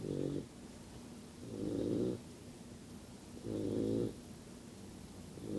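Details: Sleeping yellow Labrador puppy snoring: soft, buzzy, low rasping breaths lasting about half a second each, recurring roughly every one and a half to two seconds over a quiet hiss.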